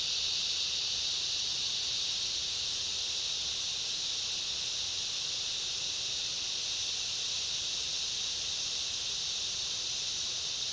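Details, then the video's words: Summer rainforest ambience of cicadas and other insects: a broad, continuous high-pitched buzzing drone, even and unbroken, with a faint thinner band above it. "Summer rainforest ambience, cicada chorus and other insects"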